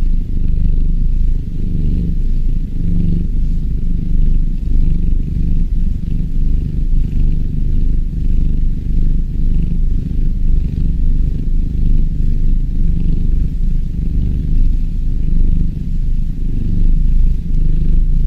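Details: A kitten purrs in a steady, low, continuous rumble.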